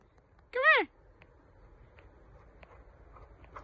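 A Golden Retriever gives one short, arched whine that rises and falls, begging for food.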